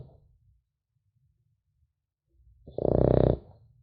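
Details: Sleeping French Bulldog puppy: soft low breathing murmurs, then one loud, raspy, rumbling snore lasting under a second.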